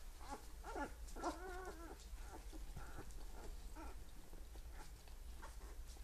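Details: Magyar Vizsla puppies at fourteen days old give thin, bending whines in the first two seconds, one longer wavering squeal in the middle, then softer scattered squeaks over a constant low background rumble.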